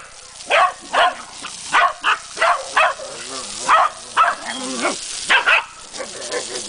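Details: Corgi attacking a spraying water hose, barking in rapid, harsh yaps roughly every half second through most of the clip, some with a growly edge, against continuous hissing water spray.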